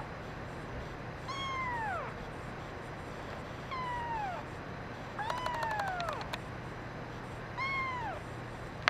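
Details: Male brown mackerel tabby kitten giving repeated plaintive cries, four drawn-out descending meows at irregular intervals, one overlaid by rapid clicking, against a constant low hum.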